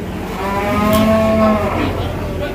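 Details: A single bovine moo at an Indonesian cattle market ahead of Eid al-Adha: a smooth, sustained lowing call about a second long, with faint chatter and market bustle behind it.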